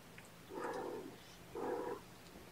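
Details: Two drawn-out kitten cries, each about half a second long and a second apart, come from one of a litter of foster kittens being syringe-fed formula indoors on the morning of 8 May 2018, over a low room hum.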